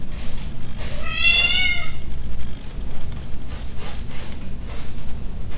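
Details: Breeding male cat indoors giving one drawn-out, harmonic-rich meow lasting under a second, followed by soft rhythmic breathing or purr-like rumbling and low background noise.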